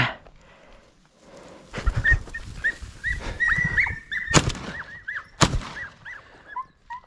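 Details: Podenco hunting dogs, several animals, out in the field during a hunt, giving high, arched yelps in quick, uneven series, with loud crashes and rustling from moving through brush.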